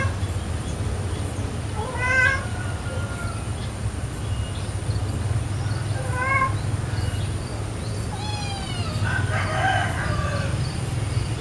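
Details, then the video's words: Female tortoiseshell calico cat, angry and annoyed as a white male cat approaches her, gives drawn-out harmonic meows near two, six and eight seconds over steady low rumble, with a brief noisy burst after the last. "Kucing Betina Marah"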